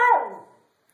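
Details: A dog trying to say "hello" gives one short, loud, tonal howl that starts high and slides down, fading out within about half a second in a quiet indoor room.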